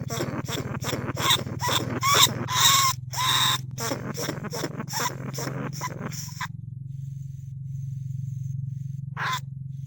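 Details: Lesser bandicoot rat held in a cage trap in rice fields at Nong Khu Phai, Thailand, recorded live in 2569 calling to other rats: rapid harsh squeals with a ringing tone for six seconds, then a steady low hum and one last squeal.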